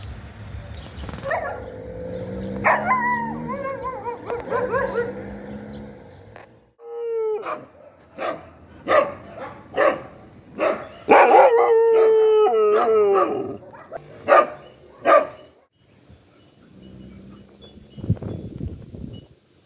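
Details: Dog voicing a mix of wavering, whining howl-like notes and bursts of sharp barks in quick clusters, with a sustained rough cry in the middle and quieter low sounds at the end.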